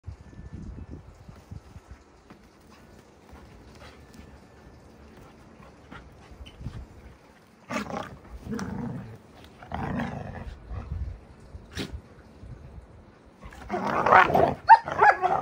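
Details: Two giant Alaskan Malamute puppies, Moose and Raven, wrestling and playing rough. Faint rustling at first, then from about eight seconds short harsh growling and snarling bursts, ending in a louder rasping outburst near the end.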